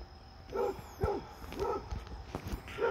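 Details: Fred, a Basset Hound, playing outdoors with a visiting deer friend: four short, harmonic baying barks spaced about half a second apart, with low background rumble and clicks.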